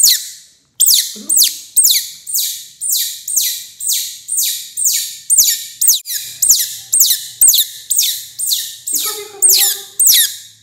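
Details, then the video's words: Baby otter eating fish for the first time: shrill high squeaks repeated about twice per second in a long steady series, each note sweeping downward, with a brief lower murmur near the end. "What a crazy sound! baby otter eating fish for first time"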